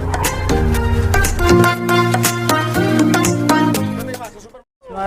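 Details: Loud rhythmic music with drums, plucked tones and some speech, cutting to brief silence before resuming, with no animal voice.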